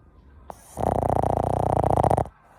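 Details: Pet Boston Terrier named Chachamaru in deep sleep, giving one booming snore of about one and a half seconds, a harsh, fluttering rattle with a fast, even pulse, after a faint click and near-quiet room.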